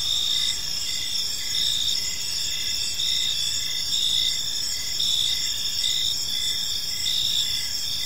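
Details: Crickets sing through a park evening, layered high trilling tones and repeated brief pulses at a steady pace, unbroken over light background hiss.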